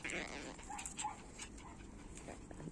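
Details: Young puppies from two litters, born to Orlanda and Lana, give short, thin high squeaks, two or three brief whimpers in quick succession over a steady background hiss and faint scuffling.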